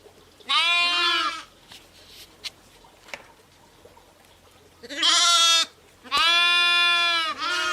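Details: Bleating from sheep and lambs: three strong, buzzy, quavering bleats separated by a long quiet gap, the last one drawn out for over a second, with another starting as it ends.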